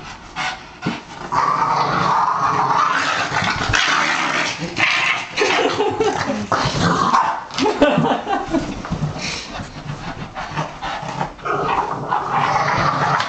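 A Boston Terrier barks and makes odd growling, yipping noises in quick, uneven bursts.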